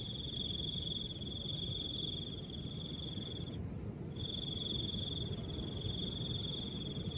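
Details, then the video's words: Cricket chirping with soft wind: a steady, high, buzzy trill runs for about three seconds, stops briefly, then resumes and holds to the end, over a constant low rushing wind. "Crickets and the sound of soft wind"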